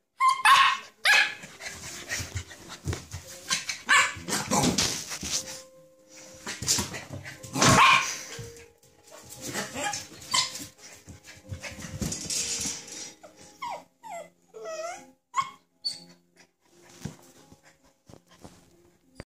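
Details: Samoyed puppy angry at its water bowl, giving rough, harsh bark bursts through the first half, then high, bending yelps and whines in short repeated bouts toward the end, with scattered clattering noises between.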